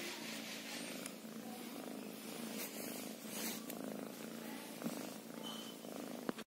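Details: A kitten purrs close up, a dense, even vibrating drone that carries without pause, with a brief knock just before the end.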